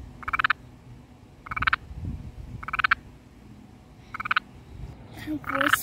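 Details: Small garden toad croaking with its vocal sac inflated: short, rapidly pulsed rattling trills of about a third of a second each, repeated roughly every 1.3 seconds, five bursts in all, over quiet low background rumble.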